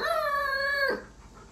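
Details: Alaskan Malamute at home, near its owner sick in bed, holding a single steady, level howl for under a second before it cuts off into quiet room sound.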